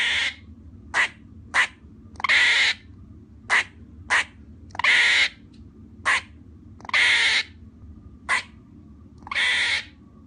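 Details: Squirrel barking in an irregular pattern: quick sharp chucks alternating with longer, raspy, wheezing cries, repeated throughout against a faint low hum.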